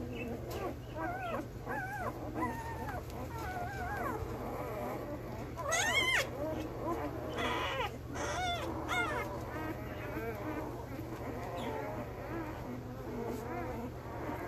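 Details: Male Belgian Malinois puppies one week old, born 9/26/2021, a chorus of overlapping arched squeaks and whines with a couple of louder shrill cries midway, low hum throughout.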